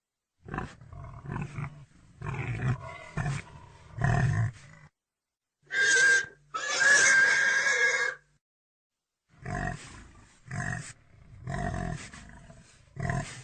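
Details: Pig giving a run of short, low, rough grunts in clustered bursts, broken by a loud, harsh, high squeal lasting about two seconds midway, then more grunting.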